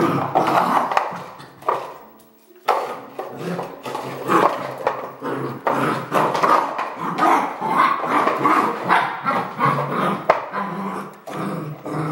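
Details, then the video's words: Red merle Border Collie barking indoors in a small room, a rapid run of short harsh barks with a brief pause near two seconds, then barking resumes densely and irregularly. "BC Red Merle - Barking"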